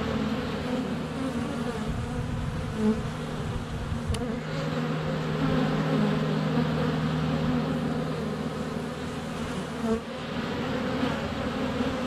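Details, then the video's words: Honey bees swarming a hive entrance on a sunny February day, filmed with a GoPro Hero 7 Black under a foot away; a dense, steady droning hum with a low tone held through the middle, one sharp tap near four seconds. "Honey Bees - ambient video and audio"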